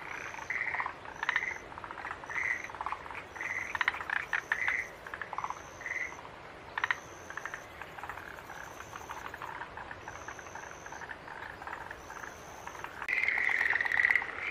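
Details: Green tree frogs calling in bursts of harsh, pulsed notes, clustered at irregular intervals and louder toward the end, while a steady high thin tone repeats in short pulses roughly every second.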